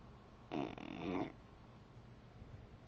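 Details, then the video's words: Claire, a Beagle, sleeping on the back of a chair indoors: one snore of about three-quarters of a second, a breathy rasping burst with a low buzzing tone, then quiet. "Snoring Beagle"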